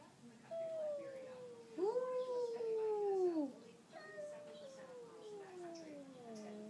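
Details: Neighbourhood cats arguing outside a front door: three long, drawn-out yowling moans, each sliding downward in pitch, the middle one loudest and arched, running almost without pause across the stretch.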